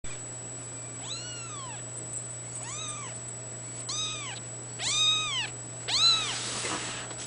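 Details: A three-week-old male fawn Abyssinian kitten mewing indoors, five thin arched cries about one per second, each rising then falling, the last two louder, over a steady electrical hum.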